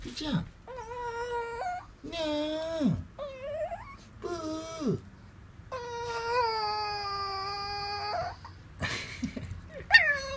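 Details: Female Pomeranian about 14 years old, which never learned to bark and meows instead, gives drawn-out, cat-like meowing cries sliding up and down as she greets her returning owner.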